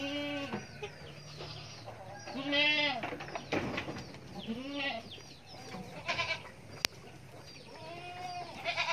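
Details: Young goat kid bleating: four drawn-out, nasal, wavering bleats, each under a second long and spaced a few seconds apart, with faint clucking fowl and farmyard noise in the background.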